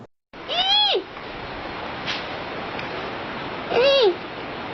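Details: Two separate panda calls, each a nasal harmonic bleat that bends upward and then drops, heard over a steady background hiss after a brief silence at the start.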